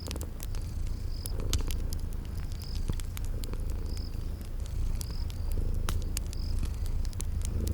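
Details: Continuous deep purring from sleeping cats, rising and falling softly, mixed with snapping fireplace crackles and brief high-pitched cricket chirps at regular intervals in a cozy spring garden setting.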